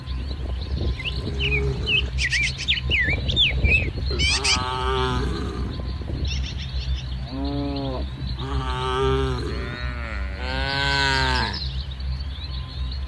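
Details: Dozens of cattle crowd together while grazing in a muddy rice field in morning sunlight; a run of four or five overlapping drawn-out moos in the second half, after chirping birds and over a low background hum.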